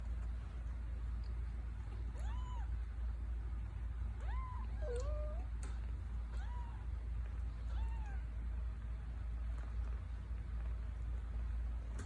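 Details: Two-week-old Scottish Fold kittens mew in short, high, arched calls that rise and fall, some doubled, spaced a second or two apart, over a constant low hum.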